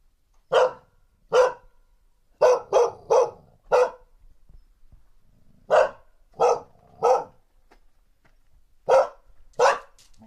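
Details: Barking female dog in threat display, field-recorded with a handheld recorder fitted with a windscreen: about twelve harsh barks in irregular clusters of one to four, with quiet gaps between.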